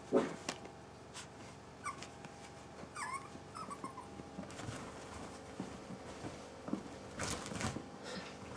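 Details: Italian Greyhound giving brief high whines that bend downward, scattered across several seconds over a low steady hum, with a few soft clicks and knocks around it.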